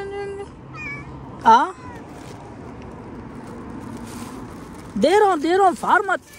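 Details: Cat meowing outside as a man hands out food, a sharp rising meow early, then three loud arching meows near the end, with the man talking quietly between them.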